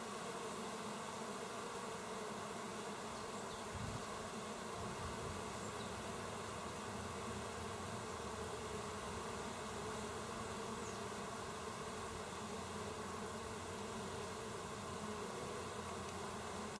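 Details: A constant swarm-like hum of busy bees at work, recorded 27 August 2024, stays level and unbroken throughout.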